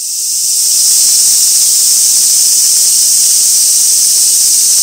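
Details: Cicadas fill the air with a steady, high-pitched buzzing drone that fades in and holds without a break, recorded on 2 August 2024 on Gaikotsu mountain, Japan, beside an old sawtooth oak.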